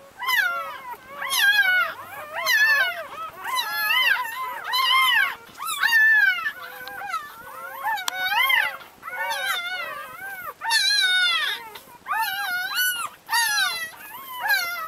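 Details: Leah the Labrador Retriever mother with her ten puppies in Brazil; a busy chorus of high, warbling squeals and whines, bursts coming roughly every two to three seconds, many pups overlapping.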